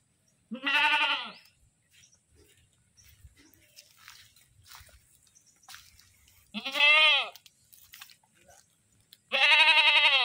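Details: Goat screaming, loud harsh bleats with rich harmonics, three calls each lasting under a second, spaced several seconds apart, with faint rustling between them.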